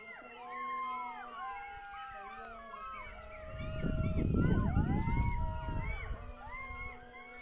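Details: Jackals near a village raise a group howl during the Azan, a tangle of quavering, sliding wails and yips that overlap and rise and fall, while the low, rumbling voice of the call to prayer swells in the middle.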